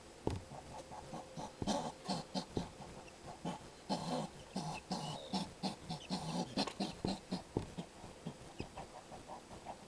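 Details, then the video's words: Skunk at a feeding window, making a strange voice: a run of short, rough grunting and snuffling bursts, irregularly repeated about twice a second, with some louder broadband puffs in between. "THE STRANGE SOUND OF A SKUNK'S VOICE"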